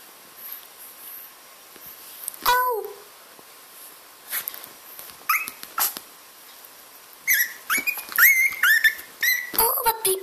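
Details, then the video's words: Chihuahua puppy crying and begging for food, play or attention indoors: brief high whines and squeaky yelps in scattered bursts, some sliding downward, with a woman talking in Dutch and faint background music. "Bailey being adorable (crying, begging, being the cutest)!"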